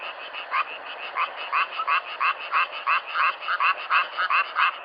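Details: Frogs in a self-made nature recording, louder individual croaks standing out over a murmuring chorus, each a short rasping pulse repeated irregularly about every half second.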